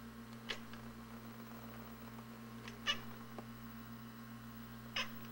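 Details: Short, soft chattering bursts from feral cats at a front window, aimed at a robin in their yard, three spaced calls against a continuous low household hum.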